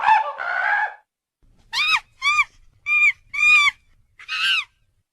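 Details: Strange monkey sound: a rough, buzzy opening cry, then five separate clear, harmonic, arched hoots spaced about half a second apart, rising and falling in pitch, against a quiet background.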